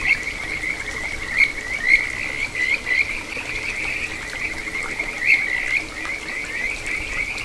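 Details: Kajika frog (Buergeria buergeri) singing a sweet, bird-like trilling song with brief rising notes at a small stream flowing through satoyama countryside in Ichihara, Chiba, Japan, recorded 9 June 2022.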